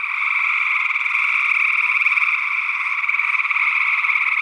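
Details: Early June 2022 in Northwest Wisconsin: a loud gray tree frog chorus on paired condenser microphones. Continuous overlapping trills hum at a steady level throughout, with pulses faintly audible in the mass.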